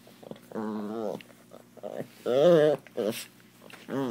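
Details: Pet Chihuahua indoors, playing rough and growing jealous when a Doberman gets attention, gives wavering, moaning whines in drawn-out bursts of about half a second, with short pauses and faint human voices between.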